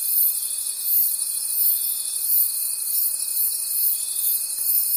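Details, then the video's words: Crickets calling at night in a forest: a dense, high, shimmering trill chorus that swells and fades roughly every second, with a steady thin tone underneath and no other sounds. "Forest Sounds and Cricket Conversations at Night"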